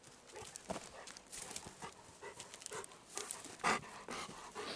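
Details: Golden Retriever Kohaku panting on a walk through still, windless woods, breath likened to a steam locomotive; quick rhythmic huffing bursts repeat about twice a second over crunching footsteps, with no birds or insects.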